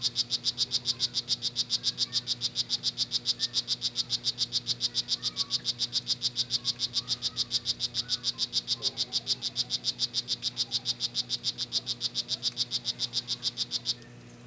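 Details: San Cristobal strawberry poison frog giving a long, steady train of quick buzzy chirps, roughly three and a half per second, high-pitched and even, stopping abruptly near the end; faint low background hum.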